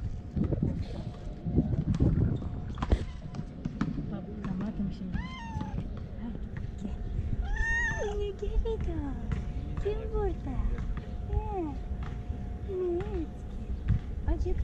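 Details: Damat cat, a male with eyeliner-like markings and a white point on his tail, meowing for affection rather than food; several short rising-falling mews around the middle, over a steady low hum and background speech.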